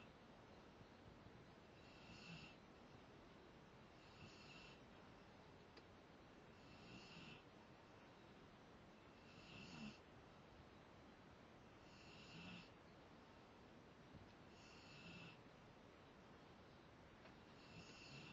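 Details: Sleeping Rottweiler named Zakk snores in a regular rhythm, a breathy rasping snore roughly every two and a half seconds, each one brief and airy, against a constant low background hiss.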